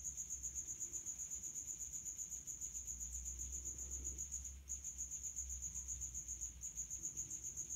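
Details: Male house cricket stridulating at high temperature from a resonant hiding place: rapid, regular high-pitched chirps, about four pulses per second, in a near-continuous train with a brief pause midway and another near the end; low hum underneath.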